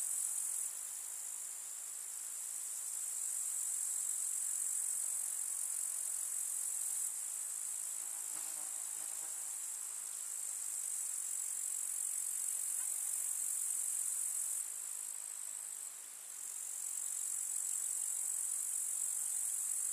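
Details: Grasshoppers chirping in a summer meadow with wildflowers in the countryside: a steady, dense, high-pitched shimmering trill that holds without pause, with a faint low buzz of a passing flying insect around the middle.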